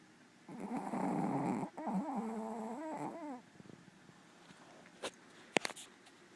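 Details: Black female Pomeranian snoring indoors: a nasal, tonal drone about three seconds long with a wavering low pitch and a raspy edge. After it comes a quiet room and a few sharp clicks.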